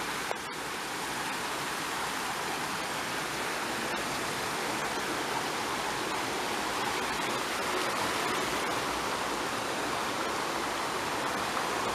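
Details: Steady rushing water, like a mountain stream or small waterfall, fills the whole recording with dense broadband hiss, with a faint tick near the start and no animal voice audible.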